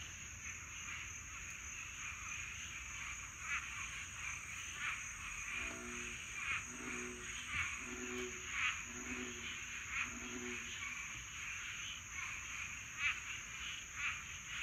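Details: Dense chorus of swamp frogs mating at night in Florida summer, rapid raspy croaks pulsing throughout, a run of lower repeated notes midway, and a continuous high-pitched insect whine behind.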